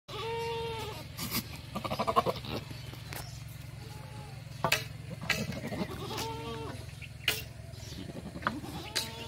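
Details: Barbari goats on a farm in Etawah, Uttar Pradesh, India: several short wavering bleats, some nasal and quavering, over a steady low engine-like hum, with clattering knocks and a man's shouts.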